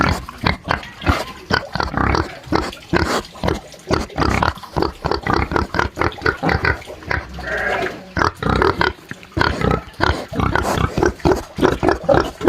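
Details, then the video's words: Pig on a farm giving a long run of quick, rhythmic grunts, several per second, low and rough, sometimes rising into squeal-like snorts, continuing steadily throughout. "SOM de PORCO RONC RONC"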